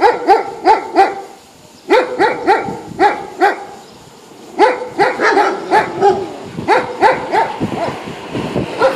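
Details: Boastful poodle showing off and teasing others, giving sharp, high-pitched yapping barks in quick bursts of three to five, with short pauses between bursts across about nine seconds.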